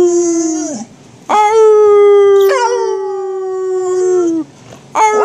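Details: Pet dog Angus howls with a little help from a person. One long, sustained, harmonic howl holds a steady pitch for about three seconds, then slides down at its end. It comes between shorter howl fragments with a brief silence on each side.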